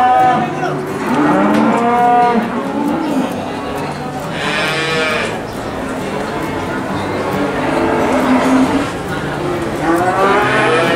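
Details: Several cattle, including small young ones, moo in overlapping, drawn-out harmonic calls amid the busy, noisy background of the Boyolali cattle market.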